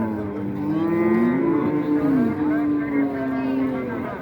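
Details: At a cattle market in Raniganj, Dinajpur, in 2025, a low, steady, droning moo holds nearly level for about four seconds, wavering slightly, amid market noise and faint voices.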